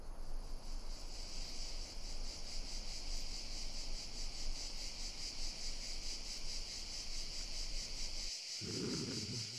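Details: Cricket chirping in a steady high pulsing trill beneath a strong low rumble of background noise, with a brief thump and soft low sound near the end.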